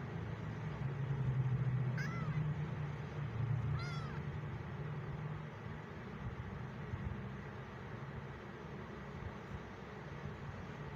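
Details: Abandoned fifteen-day-old male kitten, alone and unhappy in a new home, gives two short high mews about two seconds apart while vehicle engines rumble loudly in the background.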